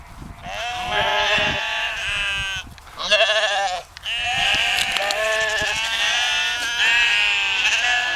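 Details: Several sheep bleating on a dike by the Westerschelde, Zeeland, Netherlands: loud, quavering, drawn-out calls overlapping almost continuously, with a short lower bleat in the middle.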